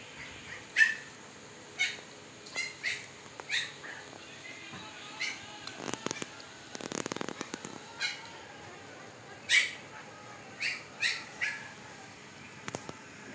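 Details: Siberian Husky puppies, fifteen days old, eyes newly opened, in Pakistan: short high squeaky whimpers and yelps repeated at irregular intervals, with a burst of rustling and handling noise midway.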